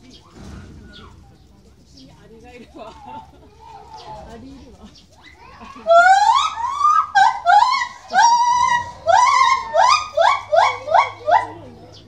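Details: A white-handed gibbon at Maruyama Zoo, Hokkaido, on 18 July 2016 calls loudly while swinging rapidly back and forth along bars, giving a rapid series of ringing whoops, each note sliding upward, echoing through the zoo.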